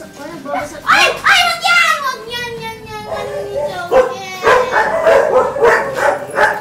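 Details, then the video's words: Five-week-old male Labrador Retriever puppies from a first litter give high, sliding whines and short yips, one long falling whimper drawn out in the middle, while people talk over them throughout. "Labrador puppies"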